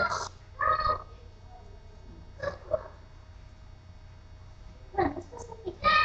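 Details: Four-week-old puppies at play give short, high squealing yelps in bursts at the start, near one second, around two and a half seconds, and again at five to six seconds, with quiet gaps between.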